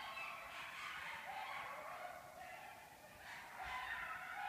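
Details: Coyotes howl together in the dark during the annual mating season, recorded behind a house on 6 March 2014. Overlapping quavering howls and yips rise and fall, with brief louder bursts standing out.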